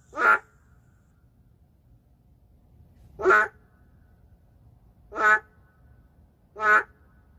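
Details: Four loud, separate nasal croaks from the endangered narrow-mouthed frog in an urban setting, each short and harmonic-rich, spaced about two to three seconds apart over a quiet background.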